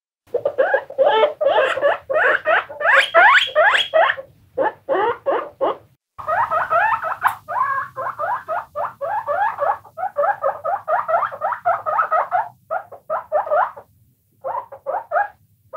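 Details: Several guinea pigs squeaking together: rapid series of rising, harmonic-rich whistled squeaks repeating about two or three times a second, in bursts broken by short pauses, with a faint low hum beneath.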